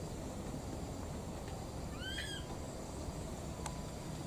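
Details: A baby monkey, one of two wild young searching for their mother, gives a single clear arched coo, rising and falling with bright harmonics, over steady low background noise.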